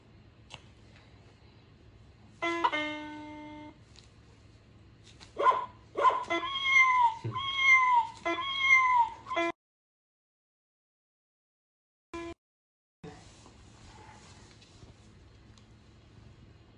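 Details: Domestic cats indoors, a Norwegian Forest Cat and a Ragamuffin, in a quarrel being broken up: one steady drawn-out cry, then four arching meows in quick succession, followed by a pause and a couple of faint clicks.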